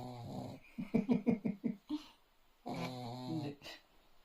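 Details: A sleeping dog snoring: a run of quick, rhythmic, wheezy pulses, about six in a second, then a longer drawn-out, harmonic-rich snore that rises and fades, indoors.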